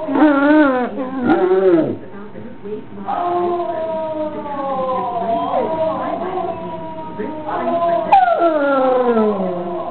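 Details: Domestic basset hound joining in with howling basset hounds on a played recording: a short burst of wavering howls, then long mournful notes that glide slowly downward, and a final descending wail.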